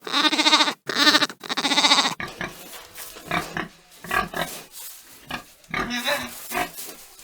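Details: Domestic farm pig: three loud, shrill, harmonic squeals in the first two seconds, followed by a run of shorter, softer grunts and snorts at an irregular pace.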